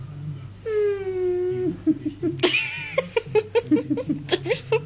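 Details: A female Dobermann puppy at play gives a drawn-out, slightly falling whine, followed by short yips and a person talking.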